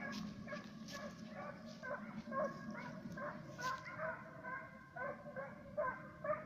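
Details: Two Serbian hounds on the trail of fox and roe deer, giving loud, harmonic, ringing bays about twice a second in an uneven rhythm, voices overlapping, over a low rustling rumble.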